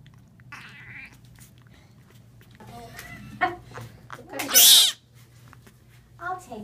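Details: Rescued male Florida panther kitten, seven days old, hypothermic and listless, being examined by veterinarians at a Naples animal hospital; a harsh, broadband hissing burst and short mewing cries sound amid staff talking and a steady low hum.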